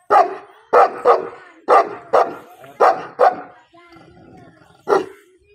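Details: Dogs in a fight between Gabbar Badmash and Bravo, giving loud, harsh barks in quick bursts of one or two, about seven barks spread over five and a half seconds, with short quiet gaps between them.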